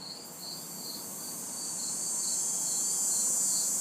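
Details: Backyard orchestra of crickets and cicadas on a humid summer night in the city, with a bright continuous high-pitched hiss and evenly pulsed chirps, slowly swelling in loudness, over faint distant traffic.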